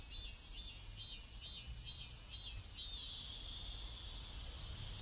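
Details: Cicada chorus heard in a South Korean neighborhood: rapid high buzzy pulses about twice a second that merge into a steady shrill drone, with faint low background noise.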